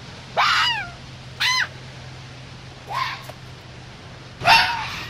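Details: Fox barking during mating season: four short, sharp, downward-bending yelps spaced roughly one to one and a half seconds apart against a faint steady hum.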